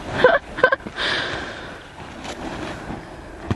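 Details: Two short bursts of a human voice open the recording, followed by a breathy rush and soft scuffing and rustling noises. No animal call is audible.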